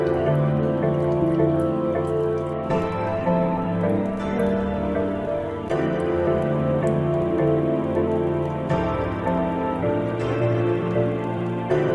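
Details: Soft, steady instrumental music with a gentle dripping, rain-like texture, and no animal voices.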